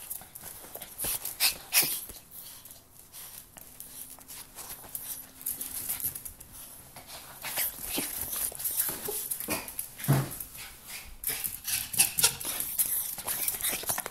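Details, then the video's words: Miniature pinscher named Carlos greeting his owner at home in excitement: scattered high whimpers and panting amid scuffling and scratching noises indoors, with no steady rhythm, short sharp bursts clustering near the start and again toward the end. "What it feels like to come home to a minpin"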